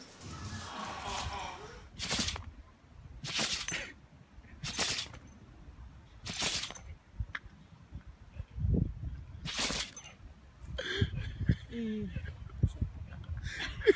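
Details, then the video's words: Pet dog sneezing over and over: five sharp, breathy bursts about one and a half seconds apart, with soft rustling and a quiet voice near the end. "멍멍이들의 재채기"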